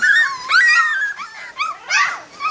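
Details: Labrador Retriever puppies, 3 and 4 weeks old, whimpering indoors: several high, thin whines that rise and fall, some wavering and squeaky, with short breaks between them.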